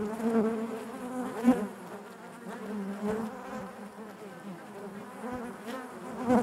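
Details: Steady low hum of honey bees in their hive, fairly even in volume, with a couple of sharp taps and a louder buzzing swell near the end.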